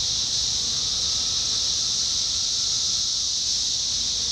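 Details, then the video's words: Periodical 17-year cicadas singing en masse during summer 2021 in Indiana, a continuous high droning hiss that holds constant without pauses or rhythm changes. "Sounds of Cicadas Summer 2021: 17-Year Cicada"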